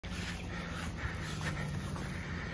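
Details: A Jindo dog makes a low, rough, breathy rumble that holds steady for a couple of seconds. It happens as its owner tries to take away a stolen sweet potato the dog is eating.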